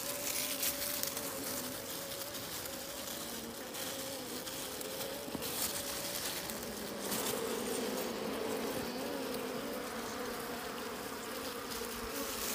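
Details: Buzzing of wild bees at a hidden honey site in nature: continuous humming whose pitch wavers slightly up and down over twelve seconds, with an airy, rushing background.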